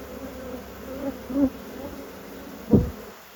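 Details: Honey bees in an apiary during a hive inspection: a low, steady hum held throughout, with a few soft thumps and knocks from handling the hive.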